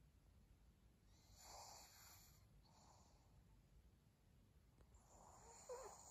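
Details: Soft snore-like breathing from Maria, a pet pug, on 3 January 2022: three or four separate rasping breaths spaced a second or two apart, faint against steady room hiss.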